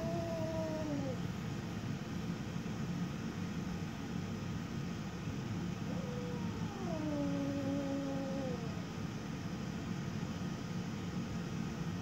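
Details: Gizmo, a 10-week-old female Siberian kitten, growls at her reflection on first meeting it: two drawn-out, wavering moans that slide downward, over a steady low rumbling background.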